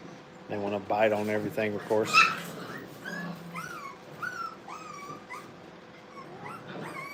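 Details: Brittany puppies during playtime at a training kennel: a human voice talks first, then the pups give thin, rising and falling whimpering yips, several short calls spaced about a second apart.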